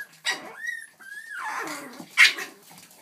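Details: Boston Terrier puppies playing and attacking together indoors: a loud high yelp, then two sustained whining squeals near the top of the range, a low growly rumble, and another sharp yelp near the end.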